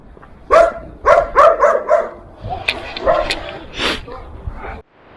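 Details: A young German Shepherd pup in Irkutsk, Siberia, in snowy weather, barks at a passerby in a quick run of sharp, high barks, with a person talking afterward.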